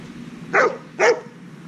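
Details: Two loud, sharp barks half a second apart from Heusty, a ten-month-old Dobermann at a training session, against a quiet low hum.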